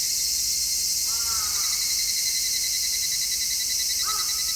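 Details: High, steady buzzing of cicadas in midsummer, recorded in stereo with an MKH-416 microphone, with a pulsing undertone; two brief bird calls, a drawn-out wavering one and a short later one, break in faintly.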